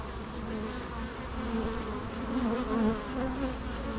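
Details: Natural bee sound: an even, deep humming drone with stacked overtones, rising gently in loudness around the third second before settling back.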